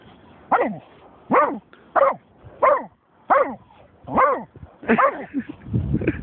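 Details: German Shorthaired Pointer named Snoop, barking after finding a dead seagull: seven sharp, slightly falling barks spaced roughly every 0.7 seconds, ending with a rougher, scuffling noise.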